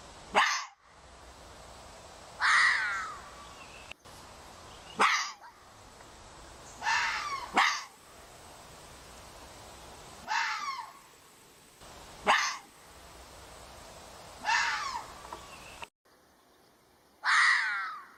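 A red fox gives harsh, hoarse barks in short bursts, repeated every two to three seconds.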